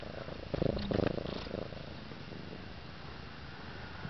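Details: Happy domestic cat wearing a cone, purring indoors: a low, steady rumbling purr with a louder burst of pulsing near the start, then a softer continuous purr to the end.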